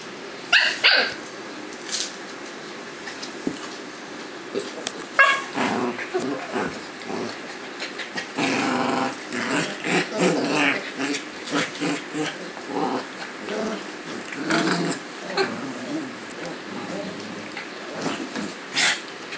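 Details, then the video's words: Two Cavalier King Charles Spaniel pups, Oliver and Henry, play-fighting as they roll around together on a kitchen floor indoors; irregular bursts of harsh growling mixed with sharp barks, loud scuffles and short pauses between the outbursts. "Cavalier King Charles Spaniel Fight!"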